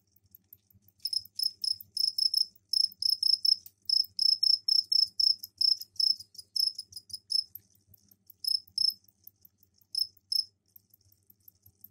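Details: Captive crickets kept in a container indoors, given a tray of soil for egg laying, give mating calls: bright, high chirps pulsed in rapid bursts, about two per second, running steadily for several seconds, pausing, then resuming briefly; faint low hum beneath.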